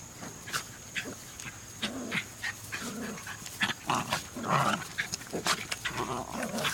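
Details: Three Jack Russell Terriers outdoors, giving short yappy barks and yelps scattered through the scene, some higher and clipped, others lower and rougher, with gaps of quiet in between and a steady faint high hum behind.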